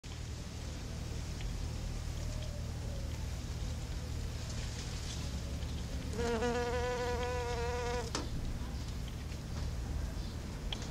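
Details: Female patchwork leafcutter bee collecting pollen; a steady, harmonically rich buzz lasting about two seconds mid-clip, then stopping abruptly, over a constant low hum.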